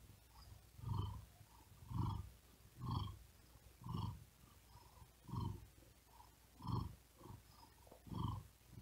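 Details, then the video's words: A very tired cat sleeping on a wooden desk in the heat gives a steady purr timed to heavy breathing: deep pulsing rumbles roughly once per second, evenly spaced, in a quiet room. "Asmr Cat Purring And Whispering Sound"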